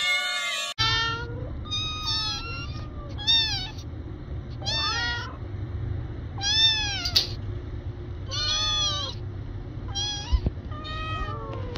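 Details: Cats and kittens giving separate short meows, each bending up then down, repeated about once a second over a low steady hum in the background.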